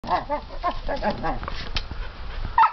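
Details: Rondo, an 8-month-old puppy, barks at a plastic toy cat at a friend's house: a quick run of short, high yappy barks, then a brief pause and one last sharp bark, with music faint underneath.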